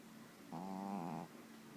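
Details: A single rattling, buzzy snore from a pet dog, lasting under a second and rising slightly before fading back to soft room hum.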